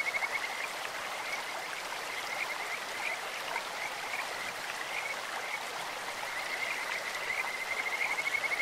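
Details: Kajika frogs calling in a clear stream: a high, thin, pulsed trill holds one steady pitch, swelling loudest near the start and end, over constant rushing, hissing stream water.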